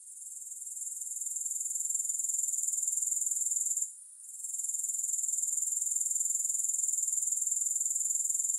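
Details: Grasshoppers chirping in a rapid, high-pitched rhythmic buzz, with no music. The sound rises gently at the start and dips briefly around four seconds. It then resumes as a steady stream of even pulses.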